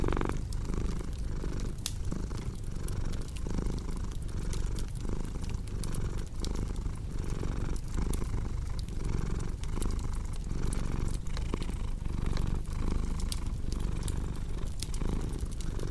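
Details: Continuous purring from a cat, a soft low rumble pulsing about once a second, overlaid by frequent small crackles and pops of a wood fire burning nearby.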